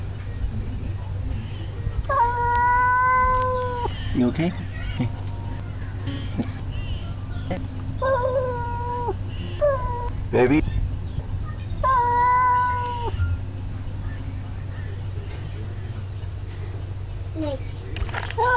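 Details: Male cat scolding another male cat: short whining yowls repeated at intervals, rising then dipping, over steady low background hum and scattered knocks.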